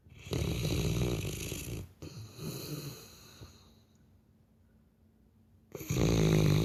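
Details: Labrador Retriever asleep, snoring loudly like a human: two long, low, rattling breaths in quick succession, a quiet gap of about two seconds, then another deep, buzzing snore starting.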